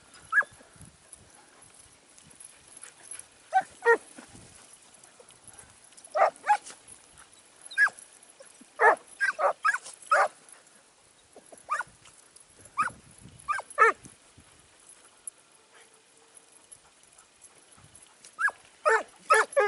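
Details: Segugio Italiano scenthound training near Sofiko in Evros, 12 September 2018: distant, fainter barks come in scattered bursts of two or three, separated by pauses, over a hushed rural backdrop.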